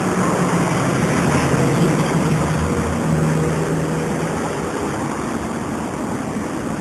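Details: Steady low engine or propeller drone with broadband noise throughout and a faint hum, no animal voice standing out.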